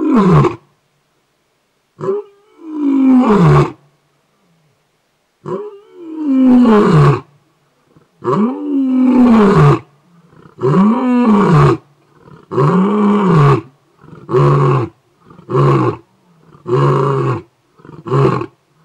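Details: A lion roaring about 100 m from a house in a game reserve near Kruger National Park, South Africa: two or three deep, drawn-out moaning roars, then a run of shorter, quickening punchy grunts about a second apart.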